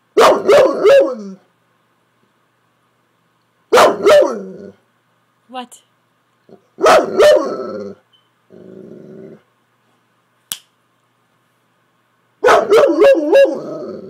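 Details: A pet Saint Bernard 'talking' to its owner as if trying to tell her something. It gives loud, harmonic, wavering bark-moans in four bursts of about a second each, with quieter human speech heard in the gaps.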